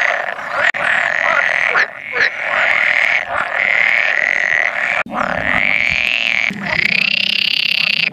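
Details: Pool frog chorus of about 100 males at a spawning site on 16 May 2017, with an occasional edible frog among them. The chorus is a dense, continuous croaking buzz, with several short breaks and a louder rising stretch near the end.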